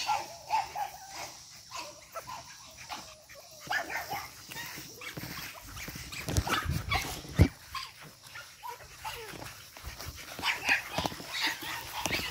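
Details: Energetic 8-week-old Boston Terrier puppies of Charm's litter making squeaky whines and short yips, some sliding upward, over scuffling, thumps and household noise.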